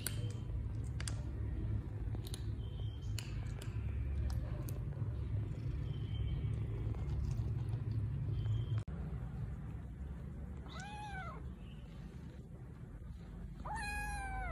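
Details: Kitten Milo, a hungry rescue kitten meowing loudly while waiting to be given food. Two arched, harmonic meows rise and fall near the end, over a steady low rumble with scattered clicks and handling noises earlier on.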